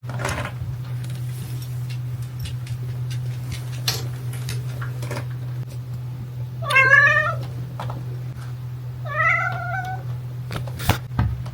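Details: Young black cat meowing while playing happily with a person, a toy poodle nearby; two drawn-out, harmonic, slightly rising meows late in the clip over a steady low hum.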